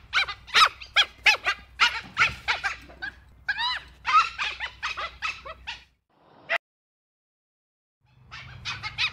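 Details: Dhole, a wild canid of India, China, Indochina and Indonesia that hunts in packs, giving a rapid series of high squeaky whistles and yelps, several overlapping, then a pause and a single sharp note before more squeaks.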